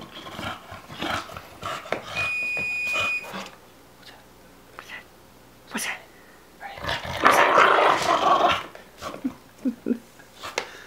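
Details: Elsa, a female Olde English Bulldogge, makes funny noises with a ball stuck in her teeth: scattered short growly grunts and snorts, a louder rough burst of vocalising near the middle, a brief electronic beep, indoors.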